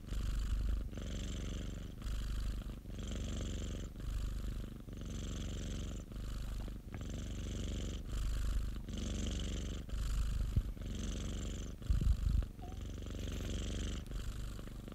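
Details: Pet cat purring contentedly, a continuous deep vibrating rumble broken into breathing phases roughly every second, with breathy hiss overtop and one brief soft knock near the end.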